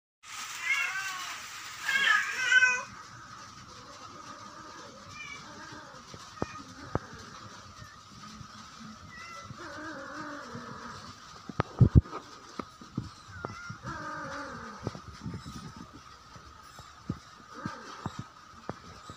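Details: A female cat in heat gives drawn-out, wavering yowls during mating season, calling to males during mating.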